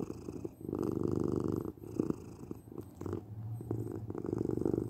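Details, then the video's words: Purring domestic cat, a low vibrating rumble with uneven swells and brief dips, close and indoors, with a slightly deeper drone near the end. "8 minutes of Cat Purring"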